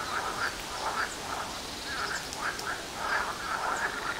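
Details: Pond frogs in full chorus, heard day and night from nearby homes: loud, rattling croaks in bursts of roughly two per second, overlapping into a continuous mid-range throb.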